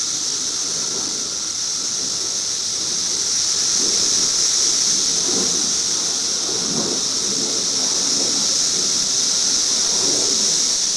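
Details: Droning of periodical cicadas recorded in 2008: an even, shrill, continuous buzz with a thinner lower whine, while short muffled low bursts come and go beneath it.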